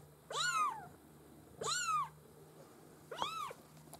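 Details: Maine Coon kitten of a cattery litter calling three times, each mew a bright rising-falling wail lasting about half a second, spaced roughly every one and a half seconds, with a faint electrical hum.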